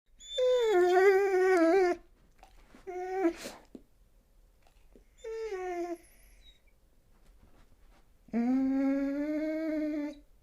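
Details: Dog crying: long, wavering, tonal whines of about two seconds each, three main cries separated by quiet gaps, with a brief scratchy noise between the first two, in a quiet indoor setting.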